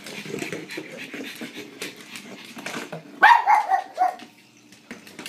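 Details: Blind female pug, sighted earlier and now without eyesight, playing fetch indoors with a noisy battery-operated ball: quiet rustling and scuffling, then a quick burst of four or five high, yelping barks within one second, fading to near silence.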